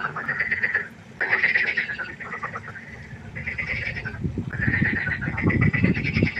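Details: Night chorus of frogs by a pond: drawn-out nasal calls in bursts separated by short pauses, joined later by rapid low rattling croaks.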